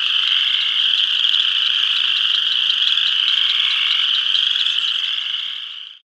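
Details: A dense chorus of spring peepers at a pond in northeast Kansas in spring, countless high, piercing peeps blending into a shrill, ringing wall of sound.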